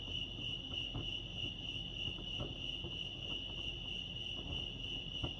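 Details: At Lake Arrowhead, California, crickets keep up a constant shrill chirping at one steady pitch, a dense pulsing drone, while scattered faint clicks and a low murmur sit underneath.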